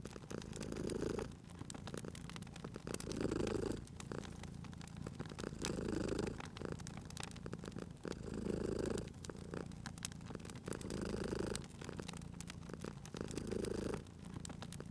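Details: Cat purring beside a crackling fireplace in a cozy indoor scene: a low, steady rumbling purr that swells with each breath, roughly every two and a half seconds, over constant sharp pops and snaps of burning wood.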